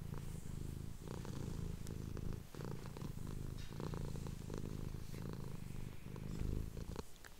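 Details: Female domestic cat purring indoors, recorded up close while her owner whispers; a dense, continuous low vibrating rumble with only slight dips in loudness and very little else audible.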